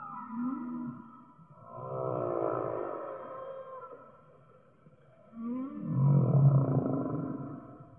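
A whale sings long, low moaning phrases that swell and fade, with a rich, droning tone.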